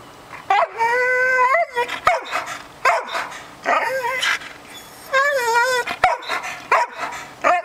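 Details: Norwegian Elkhound giving drawn-out howling yowls with wavering pitch, each lasting about a second, broken by short yelps and sharp clicks, in a quiet indoor setting.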